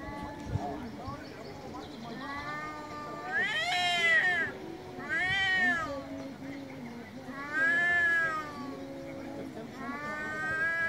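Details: Loud meowing from male street cats in Istanbul, several long arching harmonic cries in sequence after a quieter lower wail, each call swelling then fading over about a second, with soft background murmur.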